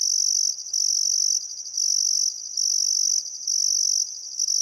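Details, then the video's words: Australian crickets at a riverside sunset in Welford National Park, Queensland, in summer, trilling in long piercing high bursts of about half a second to a second, separated by brief dips, with near silence below. "Australian Sunset Chirping Crickets"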